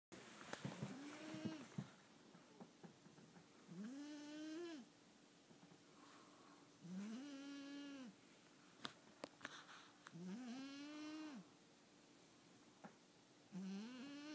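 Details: A tired domestic cat snoring loudly indoors: long nasal rising-then-level tones about every three seconds, each lasting around a second, with clicks between breaths and quiet room background.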